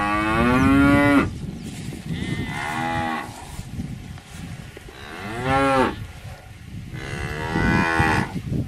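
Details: Cows mooing in a loud opening bellow with rich stacked harmonics lasting about a second, followed by three more moos that rise and fall over a steady low rumbling background, with the calls spaced two to three seconds apart.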